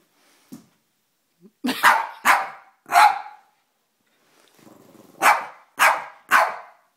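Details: A Boston Terrier, afraid of a Boston Terrier bank, gives sharp, fearful barks in two quick bursts of three.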